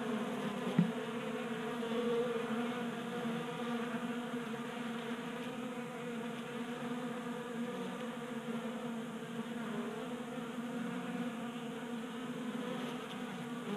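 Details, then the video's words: Many honey bees feasting at a 3D printed bee feeder on a garage workbench, Colorado, January at 60 degrees; continuous low buzzing drone with one brief tap early on. "45 Minutes of Honey Bees Feasting from 3D Printed Bee Feeder ASMR"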